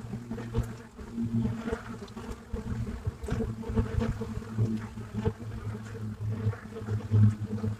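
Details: Buckfast honeybees at the hive entrance in Brittany, France, filmed live: a dense, steady low drone of many bees with layered humming tones, loudness swelling and dipping as individual bees fly close past, with faint soft ticks.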